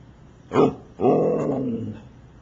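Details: A Siberian Husky asking to go outside gives a short yelp, then a longer grumbling howl that slides downward; recorded September 21, 2009.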